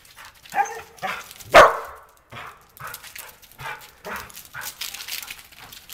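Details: Border Collie catching snowflakes outdoors in the snow, letting out one loud, sharp bark a quarter of the way through, with softer yips and busy scuffling noises before and after.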